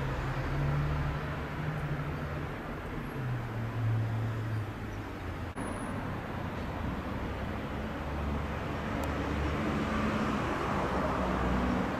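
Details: A steady traffic rumble and the low hum of passing vehicle engines fill the recording. No clear animal sound stands out above the road noise.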